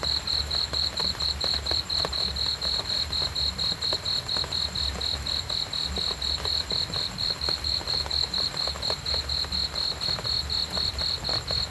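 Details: Cricket chirps for restful sleep, a bright high trill broken into quick regular beats that run on steadily, over faint rustling and low background noise.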